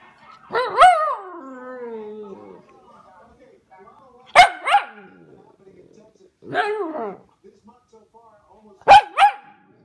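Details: Pomsky pup named Vader talking: sharp barky yelps that slide into long drawn-out, wavering howl-like moans, with bursts spaced a few seconds apart and quiet gaps between.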